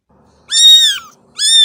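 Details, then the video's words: Two loud, bright cat meows in quick succession, the first long with a falling tail, the second cut short at the end. "صوت قطة"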